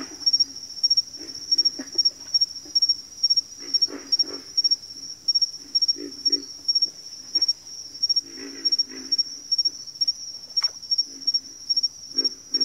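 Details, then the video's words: Backwater frog chorus: clustered low croaking grunts in irregular bursts, some overlapping, under a steady high-pitched pulsing note that repeats about three times a second throughout. "Backwater Chorus, & Frog Chorus"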